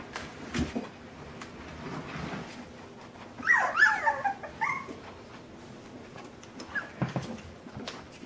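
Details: Puppies being introduced to overhead obstacles and climbing objects; after scuffling and thumps, a short burst of wavering high whimpers and squeals, then quieter knocking.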